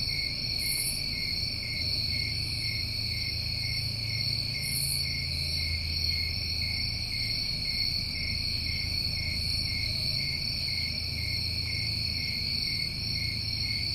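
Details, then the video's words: Summertime chorus of New England crickets: constant layered high trilling that never pauses, with faint higher hissing pulses recurring every few seconds and a low rumbling background throughout. "Over 1 Hour Of Tinnitus Masking With Crickets"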